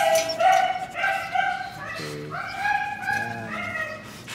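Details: Siberian Husky of show quality at Melarn Kennel, Philippines, whining insistently in long, high, wavering whimpers repeated about twice a second, with a low human voice breaking in briefly midway.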